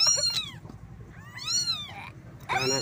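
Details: Kittens mewing for their mother and her milk: a few thin, high arched cries, one long drawn-out mew sliding up and down, with a low hum in the background.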